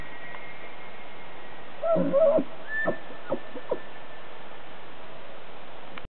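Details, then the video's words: A distant bull elk bugles periodically at 6:50 AM in Yellowstone while its herd grazes: low rising tones breaking into a high thin whistle, then a few short grunts. "Elk Bugling"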